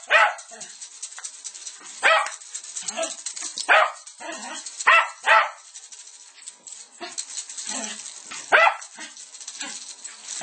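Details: Maestro, a Lakeland Terrier, barks while playing with South American maracas: about eight sharp, loud barks at uneven intervals over ten seconds, with maraca rattling and brief human speech in between.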